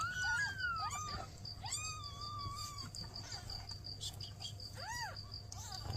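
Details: Newborn kittens calling as the mother cat seeks help: a few scattered meows, one long drawn-out level cry, and a short pair of arching mews near the end, with a constant high tone and low hum behind.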